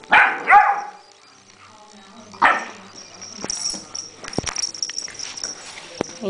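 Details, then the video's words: A puppy barks at a pill bottle with two quick sharp barks in a row, a third bark about two seconds later, then a person's voice and handling noises. "puppy barking at a pill bottle"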